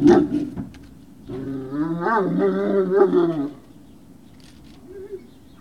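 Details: Great Dane puppies at Puppy Hill, recorded the evening of 19 February 2019, around 19:45: after a few short knocks, a drawn-out wavering whine or howl rises and falls in pitch for about two seconds, then fades into quiet.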